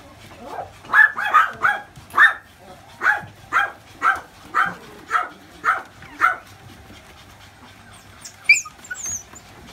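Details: A gold-coloured female dachshund puppy barks repeatedly, about a dozen short sharp yaps at steady half-second intervals, then goes quiet with a faint clatter near the end.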